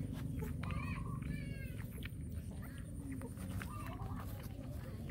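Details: Small hungry puppies being fed give short, flat, nasal whines, two close together and a fainter one later, over a constant low droning background.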